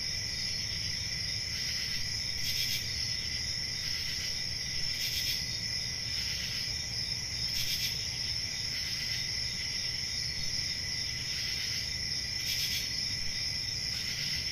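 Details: A continuous cricket chorus rings high and shrill throughout. Brief, brighter raspy bursts rise above the steady trill roughly every two to three seconds over a faint low background hum.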